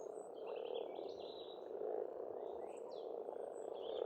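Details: Croaking frogs form a dense, rolling chorus at a spring pond in Estonia, with bird song drifting over it in high trills and quick chirps.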